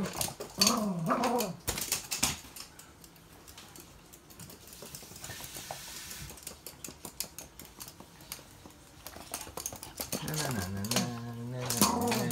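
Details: A toy poodle playing with stuffed toys alongside another dog at 7 a.m. during their usual morning routine gives short rising-and-falling whines near the start and a lower drawn-out whine at the end.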